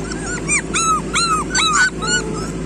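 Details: Street dog puppies whimpering and yipping: a rapid run of high, arched, whiny cries, several overlapping one another, over a steady low hum of background noise.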